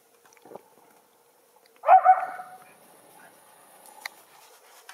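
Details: One of two young Schipperke dogs playing in the backyard snow, where deer are present, gives a single sharp bark after near silence, followed by a faint click or two.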